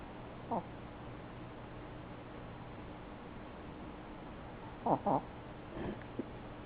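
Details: A sleeping male Chihuahua tucked behind its owner in a chair gives loud snores: one short snort, a pause, then a quick double snort followed by two softer rasps.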